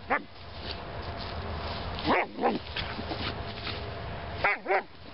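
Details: An 18-week-old Greater Swiss Mountain Dog puppy playing on soft St Augustine grass gives wavering, whiny yips in short pairs and bursts, separated by pauses, with some human talk in the background.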